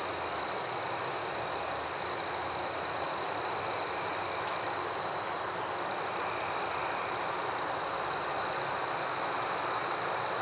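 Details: Nighttime forest crickets producing a dense steady high trill and quick repeated chirps at an even pace, a slight dip in the chorus midway, otherwise uniform.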